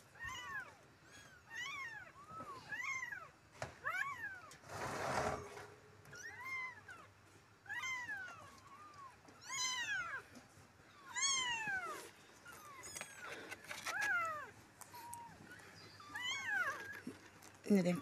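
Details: Street kittens from a litter of four meow insistently and almost nonstop for eighteen seconds, arched wavering cries repeated every second or so, with a brief rustling burst midway.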